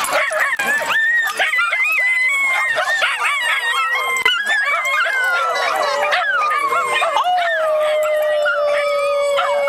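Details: Several Miniature Schnauzers at a schnauzer get-together in the Seattle area break into a pack howl after one starts, with overlapping, wavering high tones that rise and fall.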